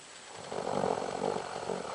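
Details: Close, loud Doberman snore: a continuous raspy, vibrating inhalation with a fluttering rattle, filling most of the two seconds.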